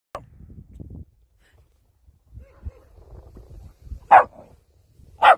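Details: West Highland White Terrier giving two short, loud barks about a second apart, after a stretch of quiet low rustling and faint murmuring.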